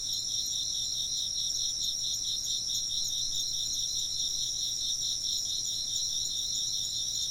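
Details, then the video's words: A dense ring of insect chirping, high and rhythmically pulsing without pause, carries on steadily over a quiet, calm background. "風鈴の音と虫の声 - wind chimes and chirping insects"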